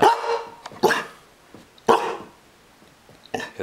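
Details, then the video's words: Female pet dog being taught to bark and growl on command indoors barks three sharp separate times, each about a second apart with quiet between, then a fourth short bark at the end. "bark and growl"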